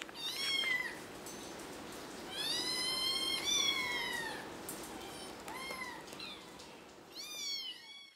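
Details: Four-week-old kittens giving high, thin mews: short rising-falling cries around the first second, a longer wavering one near the middle, a few brief squeaks, then a final cluster of bright calls at the end, over a low room hum.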